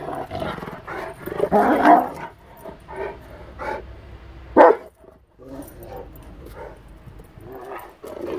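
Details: Rottweiler playing in the snow, giving rough, throaty growls and short harsh barks in irregular bursts, loudest near two seconds and again around four and a half seconds, with a brief quiet gap just after.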